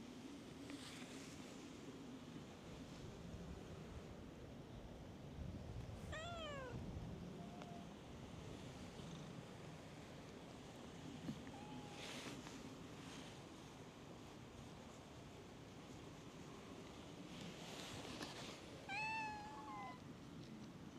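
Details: Stray cats on a cat island crowding around someone seated on a bench: a quiet, sliding meow that rises then falls, another brief mew, and a later soft meow, all over steady low outdoor rumble and hiss.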